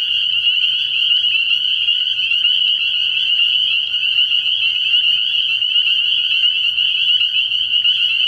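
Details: Night chorus of spring peepers at a frog pond in early spring, many high, piercing peeps overlapping into one continuous shimmering trill that holds steady in pitch and loudness throughout.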